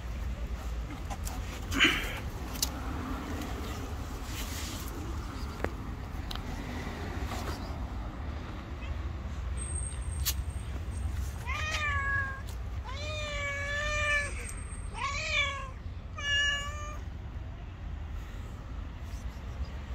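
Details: White cat, very angry and letting no one approach, lets out a run of four or five rising-falling harmonic meows in the second half, following a stretch of passing traffic and street noise with faint voices.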